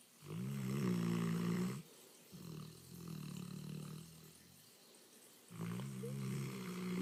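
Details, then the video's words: An English Mastiff snoring indoors: deep, rumbling, buzzy snore breaths in three long stretches of about one to two seconds each, separated by short quiet pauses. "My English Mastiff snoring"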